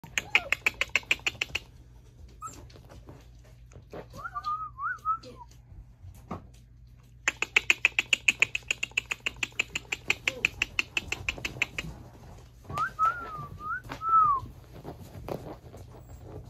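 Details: Puppy giving two short bouts of wavering, high whine-like calls that rise and fall, separated by long runs of fast, rhythmic clicking or tapping, with a low steady hum underneath.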